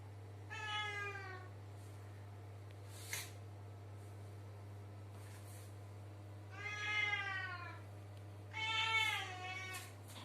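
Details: Pet cat in a bathroom uttering three separate meows spaced a few seconds apart, each short and arching in pitch, with a faint click and soft noises between them over a steady low hum.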